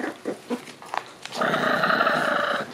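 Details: Shiba Inu puppies, a pair of white sisters born 27 December and black Uchuu born 3 January. Scattered soft clicks and scuffles, then a sustained nasal, buzzy growl-whine held steadily for over a second.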